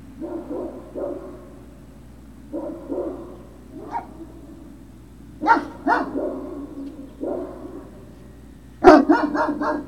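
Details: Great Dane puppies at Puppy Hill, recorded 03-06-2019 in the late afternoon around 16:24: bursts of short, yappy barks and yips in uneven clusters, ending in a sharp, louder bark series near the close, over a steady low hum.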